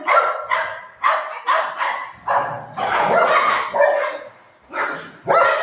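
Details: Golden retriever and shih tzu puppy fighting indoors: sharp, harsh barks and yips in quick bursts, roughly two per second, some overlapping, with a brief low growl near the middle.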